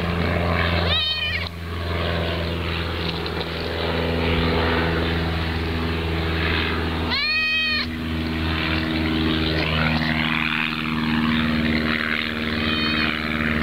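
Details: Cat in old footage from 2012 giving three separate harmonic-rich meows, near the start, the middle and the end, the middle one longest and loudest, over a steady low engine-like hum.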